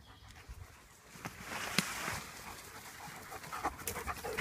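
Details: German Shepherd dogs at play, breathing in quick, rough, uneven bursts of breathy noise across a wide range, with scattered sharp clicks and squeaks from the activity mixed in.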